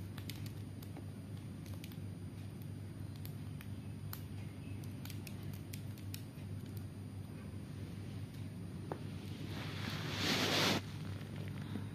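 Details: Only a low steady hum with scattered clicks and scratchy taps, and a brief rushing burst near the end; no bird voices stand out.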